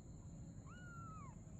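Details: Domestic cat, a mother and her kitten playing together at night; one soft, drawn-out tonal meow lasting under a second, holding level then sliding downward at the end, over a steady low rumbling background hum.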